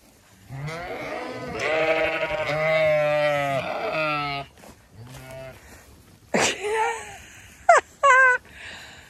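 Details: Zwartbles ewes on a County Kilkenny farm in Ireland following a woman as she tries to trick them to put food out: several overlapping long, wavering bleats from many sheep, then short sharp cries near the end.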